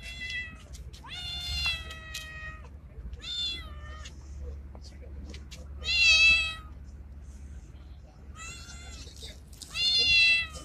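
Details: Male street cat that looks like a Bengal, calling a female: insistent high meows in irregular bursts, several stretched and quavering, the loudest near the middle and end, with faint low hum beneath.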